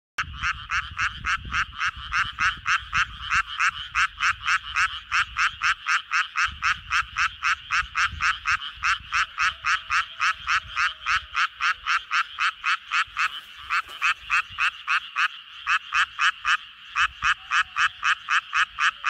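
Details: Japanese tree frog giving its mating call: a fast, steady series of harsh croaking pulses, about three to four per second, continuing almost unbroken, with a faint low rumble beneath.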